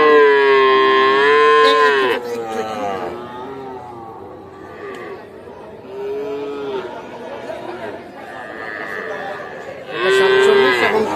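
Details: Sahiwal bull calves at the Aftabganj cattle market in Nawabganj, Dinajpur, Bangladesh, 8 October 2024: a loud, tonal, slightly wavering call lasting two seconds, then shorter bleating moos near six and ten seconds over constant crowd chatter.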